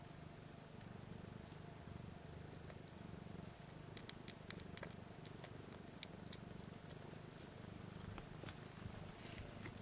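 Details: Four one-week-old kittens, three females and one male, nursing on their mother Missy "BlueBelle", eyes and ears still closed, just learning to purr: a faint, low, continuous rumbling purr with scattered soft clicking sounds above it.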